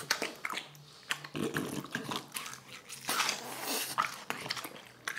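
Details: A French Bulldog eating watermelon in a small room: juicy crunching and slurping bites come in quick bursts, with a faint low hum running underneath.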